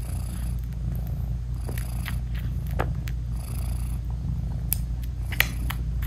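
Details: British Shorthair mother cat purring steadily while nursing her newborn kittens with eyes still closed; continuous low rumbling purr throughout, with faint small clicks and rustles above it.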